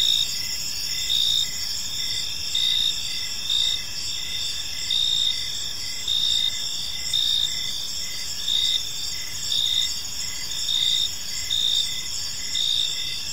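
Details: Crickets chirping in a peaceful park as evening unfolds: steady high trills layered with pulsed chirps repeating roughly every second, forming a dense continuous chorus over faint low background rumble.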